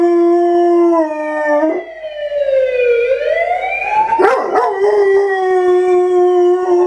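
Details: A pet German Shorthaired Pointer named KC gives his first-ever howl, a sustained tone that dips and swells. A brief rough break near the middle may be his grumble. A steady, siren-like wail continues throughout.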